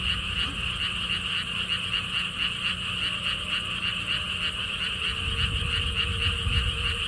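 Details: Frogs calling at a lotus theme park near Gwangokji pond in Siheung, Korea, beside a stone wall path: a dense chorus of sharp, pulsed croaks repeated about four times a second, with low wind rumble underneath.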